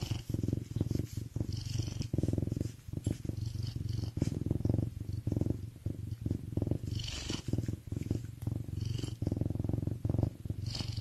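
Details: Serval named Myxa purring while feeling good: a steady, deep, low rumble with rhythmic pulsing throughout, a few faint higher scratchy rustles above it, and a single short spoken word at the end.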